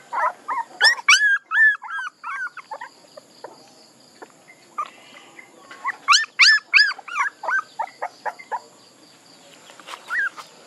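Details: Puppies whining in two bursts of quick, high, arching squeals, some sharp and piercing, separated by a quieter pause with faint background murmur.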